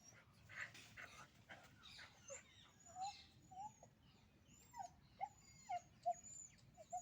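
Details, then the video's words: Puppies in a fight: harsh scuffling squeals at first, then a run of short, clipped yips about once a second, each a small rising-falling whine, over a low steady hum. "puppy dog fighting original sound"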